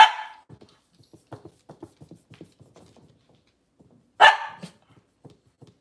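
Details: Cavalier King Charles Spaniels on a breeder's indoor kitchen camera, with off-season mothers and puppies, on a cloudy Monday morning: two sharp, loud barks about four seconds apart, with soft tapping clicks and faint shuffling in between.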